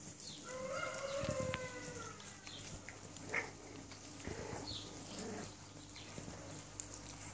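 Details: Six-week-old puppies of a J-litter riding a puppy swing; a drawn-out whine rises and falls over the first two seconds, followed by scattered short yelps, squeaks and clatter from the swing, with a steady low hum underneath.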